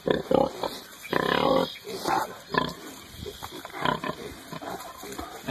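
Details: Hereford piglets in early spring, rooting in the dirt; bursts of shrill, tonal squeals lasting up to half a second alternate with short grunts and snuffles, amid rustling ground noise.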